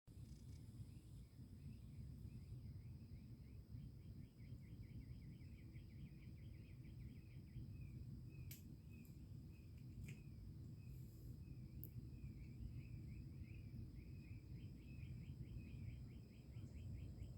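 A frog gives rapid trains of pulsed, chirping notes over a steady low rumble.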